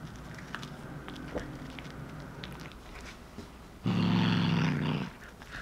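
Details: A short-legged one-year-old female tortoiseshell Munchkin cat snarls while biting into cooked corn. Soft crunchy chewing clicks lead into one loud, low, rough growl lasting about a second, with rasping overtones, before the chewing resumes.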